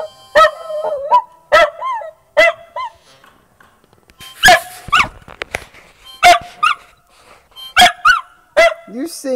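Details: Bailey the dog howls along to a harmonica: short tonal, wavering vocal bursts rise and fall about once a second, overlapping with bright harmonica notes.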